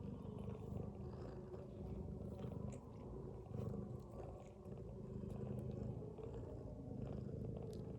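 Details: Mother domestic cat asleep with her kittens, snoring: a low, rumbling, continuous purr-like drone with slow swells in loudness over about eight seconds, and no other clear sounds.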